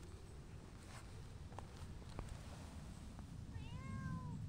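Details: Affectionate stray cats, a tortoiseshell and a shy brown tabby, greet a visitor outdoors; near the end one short harmonic meow rises and falls, over steady low rumbling background noise and a few faint clicks.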